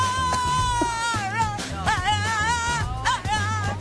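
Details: Upbeat pop-style music with a sung melody over a steady beat and bass, with no animal sounds.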